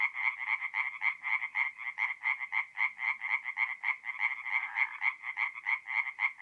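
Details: Singing tree frogs by night at a forest pond, north-east Italy in mid-April, giving fast, evenly spaced nasal croaks, roughly four per second, in a clear pulsing rhythm with nothing else audible.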